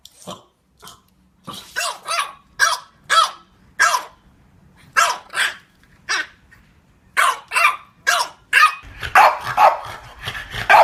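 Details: French Bulldogs barking in play, a softer, higher-pitched little-pup voice: evenly paced sharp barks about twice a second, ending in a rapid, overlapping flurry with a rumbling undertone.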